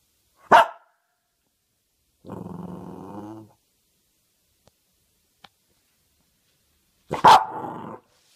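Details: Cavalier King Charles Spaniel: two sharp, loud single barks, one at the start and one near the end. Between them comes a low, buzzy, harmonic growl or whine lasting about a second, then near silence with a couple of faint clicks.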